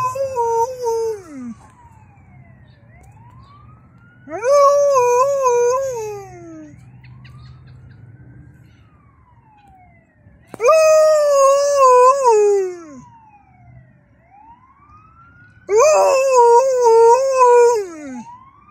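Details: An Alaskan Malamute bitch howls along with a passing ambulance: four loud, wavering howls, each lasting about two seconds, fill the gaps between the siren's rising and falling wails, with a low rumble underneath.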